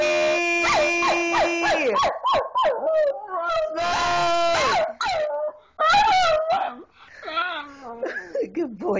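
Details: Smokey the Miniature Schnauzer singing indoors, a run of short rising and falling yelping howls and whimpery notes in quick succession, mixed with a person's coaxing voice.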